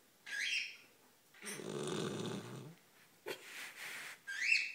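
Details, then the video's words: Great Pyrenees named Duchess snoring: a long, rough, rattling breath in the middle, framed by short whistling nasal squeaks at the start and end, with a brief breathy puff between. "Snoring Great Pyrnees"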